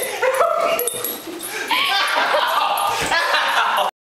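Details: Basenji gives wavering, yodel-like whines and yips that rise and fall while playfully "attacking" its owner, with people laughing, applauding and talking nearby.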